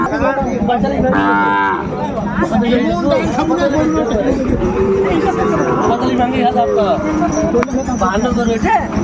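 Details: Sahiwal bull calves at a packed Manikganj livestock market, 30 December 2024. A short moo rises out of dense crowd chatter and haggling voices, followed by fainter lowing calls.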